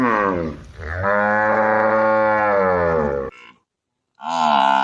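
A cow gives a long, low, drawn-out moo, then starts a second, higher moo.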